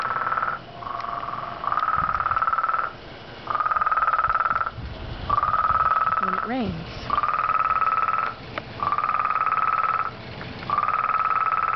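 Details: Frog calling very loudly in a long series of fast, rattling trills of one to one and a half seconds each, with brief pauses between; a short human voice is heard partway through.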